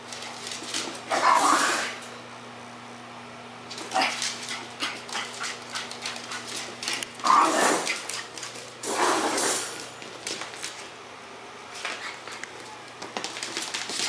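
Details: French bulldog Pekingese mix, excited after his first bath, gives breathy, noisy whimpers and snuffles in clusters every few seconds, some drawn out over about a second, over a low steady hum.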